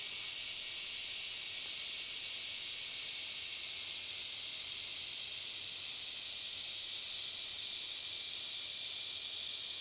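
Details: Deep in a forest, a few miles in, cicadas drone in a steady, high, hissing buzz that swells slowly louder without pause.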